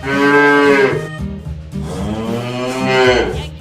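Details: Cow mooing: two long, tonal, harmonic-rich moos, the first lasting about a second and the second swelling near three seconds, with a soft musical backing underneath.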